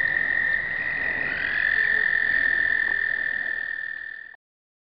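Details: A 2009 explosive breeding chorus of American toads, taken on a pocket Canon point-and-shoot: steady high trills from a few toads, one growing louder, then the sound stops abruptly near the end.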